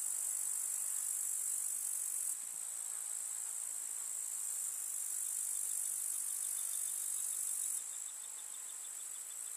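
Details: Grasshoppers chirring in a summer countryside meadow among wildflowers: a steady, very high, sizzling trill that drops in intensity briefly around two seconds, then again near the end.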